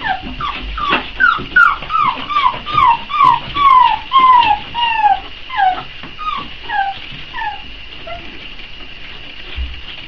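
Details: Four-week-old Boxer puppies whimpering while they wait for feeding time: a rapid string of about twenty high, downward-sliding whines, some overlapping, fading toward the end over a steady background hum.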